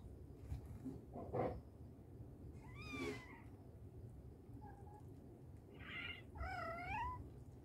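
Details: Mother cat calling her kittens: a few short meows with curved, wavering tones, spaced over several seconds, over low steady background rumble.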